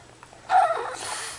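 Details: Pet dog prompted by its owner to say "mama", answering with a short, strained, rising vocal moan of about half a second followed by a fading breathy tail, indoors with little background noise.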